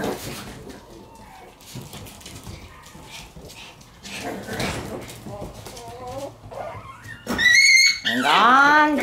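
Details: Shiba Inu puppies playing with their siblings on the day that one of them, Gon, leaves home. Muffled scuffling and a person talking give way to loud, high, harmonic yelps and whines that rise and fall over the last two seconds.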